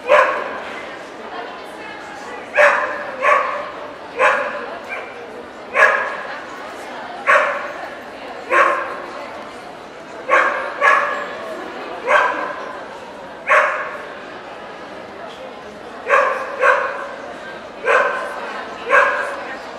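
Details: Welsh Corgi barking at the Ostrava dog show, 14 April 2012, with Cardigan and Pembroke corgis present: a long run of loud, clipped barks, roughly one a second, some in quick pairs, against a background hum of voices.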